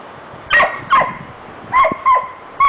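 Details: Female dog barking because she wants another dog's bone but is too scared to take it; five sharp, loud barks in quick succession, in two bursts of two and then three, over quiet indoor background.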